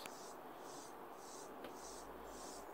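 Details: Mottled Grasshopper call from a reference recording, a south Wales species of coastlines and spoil sites: short, dry, high-pitched buzzy bursts about twice a second, becoming more frequent and then stopping abruptly.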